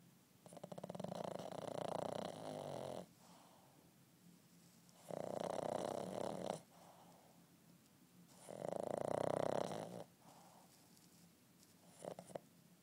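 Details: Napping Boston terrier puppy, eight months old, snores steadily indoors: three loud, rattling, buzzy breaths of about two seconds each, spaced roughly three seconds apart with soft breathing between.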